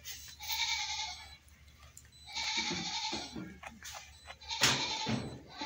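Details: Goat crying: two drawn-out, nasal bleats about a second apart, each near a second long, then a sharp knock and a shorter cry near the end over steady background hum.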